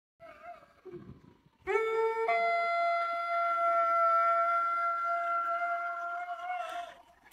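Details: A Weimaraner at home in La Crosse, Wisconsin, USA, gives a long, soulful, steady howl that climbs from a lower note and holds a clear tone.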